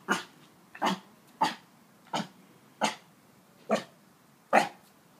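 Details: An 8-week-old Siberian Husky puppy learning to bark gives short, hoarse barks in a steady string.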